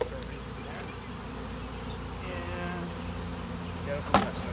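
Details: Captured honey bee swarm, sprayed with sugar water so most cannot fly, being dumped into a new hive box; a steady low droning hum with a sharp knock near the end.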